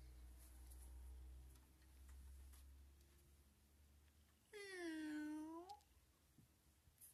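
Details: A friendly, playful house cat lets out a single drawn-out meow, bending downward then curling upward at the end, after a stretch of low indoor hum and faint tapping.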